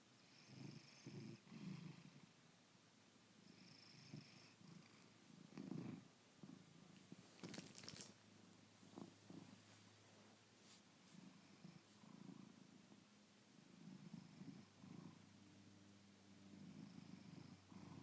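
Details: Darwin, a pet cat, snoring while asleep on a Saturday morning: low, rough, purr-like rumbles rise and fall with each breath in a steady rhythm, broken once near the middle by a brief sharp noise in an otherwise quiet indoor setting.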